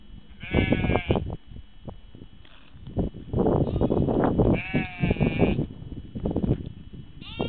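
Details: Sheep bleating, several wavering, quavering bleats, one near the start, others at four and a half and seven seconds, over a rough background of rustling and handling noise.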